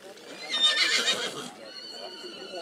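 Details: Black Forest horse mare Nessaja, three years old, shown with other three-year-old mares at Rossfest 2022 in St. Märgen on 11 September 2022; a harsh broadband burst gives way to a steady, high, harmonic whinny tone, with crowd voices behind.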